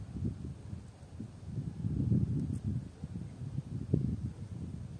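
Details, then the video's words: Common frog: low, soft purring croaks, rapid grunting pulses overlapping in a steady murmur with louder bursts around the middle and near the end, against a faint breezy background. "la rana común"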